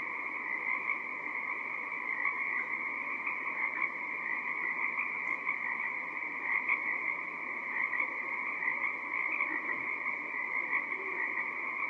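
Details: A dense March night chorus of Pacific tree frogs off Gabriola Island, British Columbia, during the Pacific herring run: countless overlapping creaky croaks merging into a steady high trill with no pauses.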